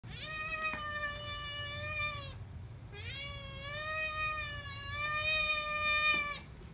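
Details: Domestic cat giving two long drawn-out meows, the first about two seconds, the second longer at about three seconds, each clear and harmonic-rich, steady in pitch with a slight rise at the start of the second, recorded indoors in quiet.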